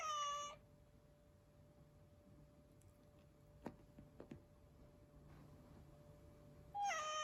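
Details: Rescued house cat meowing twice: a brief descending meow at the start, then near-silence with faint clicks and taps, and a second short meow breaking in at the close over a low steady hum.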